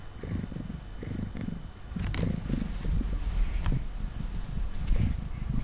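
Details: Domestic cat (Felis catus), male, sitting on a table purring for no apparent reason while being brushed: a steady, deep, rumbling purr with soft brushing strokes now and then.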